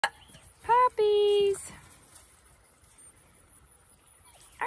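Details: Kelpie/Border Collie puppies, 8 weeks old, give two short tonal whines, the second a level held note, followed by quiet; a person talks softly to them.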